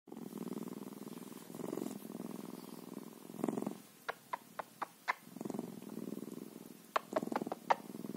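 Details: Bobcat purring steadily, a low rumbling pulsed drone that swells in short bursts, with a run of sharp clicking taps midway and another cluster near the end.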